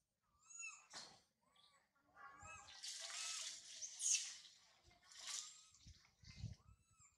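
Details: Young monkey Sario, left by her mother Sarah, calls from a high tree with thin, rising wails at first, then a long rushing hiss covers the cries before short whimpers return near the end.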